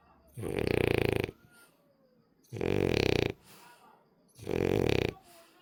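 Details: French Bulldog, a rescued dog, snoring while asleep indoors: three loud, rasping, buzzy snores, each about one second long, with quieter breathing between them.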